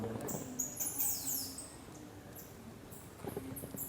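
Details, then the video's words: Bats chatter in high, thin squeaks in quick scratchy bursts with brief pauses, inside the dark sanctum of Kandariya Mahadev Temple, Khajuraho, Madhya Pradesh, India. "चमगादड़ों की आवाज आ रही है। बैट्स की आवाज आ रही है। ये एक बार आप सुनिए जरा इसको।"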